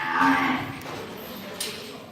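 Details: Imported Angus, Limousin and Hereford calves at purchase, a brief low harmonic moo ending quickly, followed by quiet background and a sharp click.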